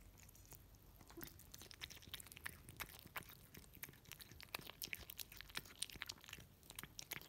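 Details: A Russian Blue cat (Felis catus) eats wet food with quick, wet, clicking bites and soft crunches.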